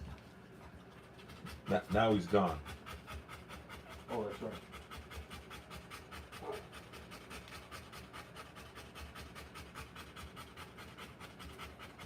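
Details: Panting Rottweiler during the live birth of her puppies: quick rhythmic breaths run throughout, broken by a few short bursts of human speech in the first half.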